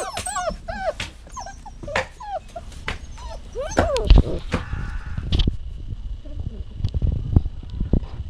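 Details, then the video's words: Dog giving a burst of quick, wavering high whines and whimpers in the first four seconds, then quieter; scraping, rustling and low knocking sounds take over afterward. "Whining Sounds"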